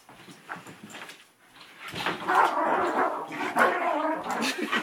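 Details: An 8-year-old Miniature Schnauzer bouncing on a person indoors like a jump house makes quick, excited whines and grumbling yips.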